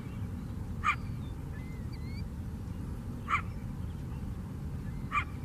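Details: Three evenly spaced, abrupt barks come roughly every two and a half seconds from a coyote beside the lake on Chicago's south side. Faint thin whistles sound between them, and a low urban rumble persists throughout.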